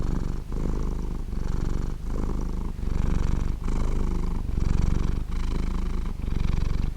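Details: Close recording of a contented pet cat giving a warm, round purr: rhythmic low rumbling that pulses with its breathing, about one cycle every second, and no background noise.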